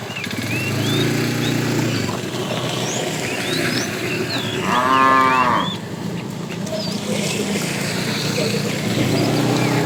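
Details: Fat bull from a herd of tame cows, herded in the afternoon, calling the female: one drawn-out harmonic moo of about a second midway, over steady low rumble, with scattered bird chirps.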